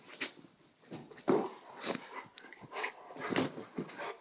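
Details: Border collie attacking, with a Czechoslovakian wolfdog also named: sharp broadband bursts and short harsh vocal snaps scattered across a few seconds, one loud thump-like hit near the middle, indoors-sounding.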